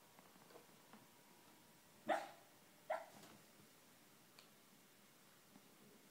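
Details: Sleeping male schnauzer barking in his dreams: two short, muffled woofs less than a second apart, then only faint breathy ticks against steady room hiss.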